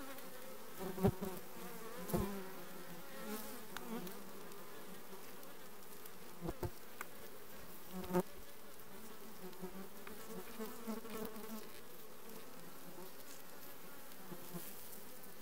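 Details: A honey bee colony recorded in June 2020 after requeening hums low and steady throughout, the drone swelling slightly at times, broken by scattered sharp taps and clicks.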